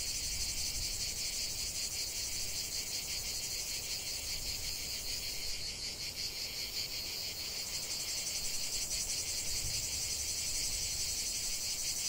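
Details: Cicadas in a field of lavender, heard as an unbroken shrill buzzing chorus with weak, irregular pulsing and a low background rumble.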